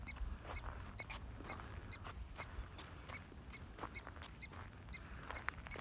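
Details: Mexican prairie dogs in southern Coahuila, approached at an active burrow; sharp, harmonic chirping barks repeated about three times a second in a steady series, with faint outdoor rustle and wind beneath.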